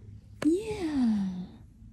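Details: Butters, a male cat described as happy, gives a single low, drawn-out meow lasting about a second that rises briefly and then slides down in pitch, in a quiet indoor room.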